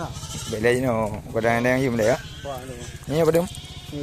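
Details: Goats for sale at Blangjrun, North Aceh, Indonesia, bleat in wavering, quavering cries, one long drawn-out call then a shorter one, over a steady low engine-like hum.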